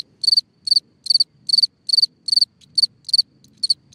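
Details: Cricket singing at night from a hole in the ground: high, pure chirps of three or four rapid pulses, repeated about every half second in a steady rhythm, with one weaker chirp near the end and faint low background rustle.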